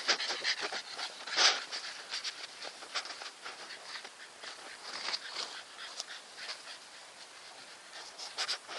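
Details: Nikita, a Staffordshire Bull Terrier, breathes in soft, quick, breathy pants, a steady rhythm of airy puffs with one louder burst near the start.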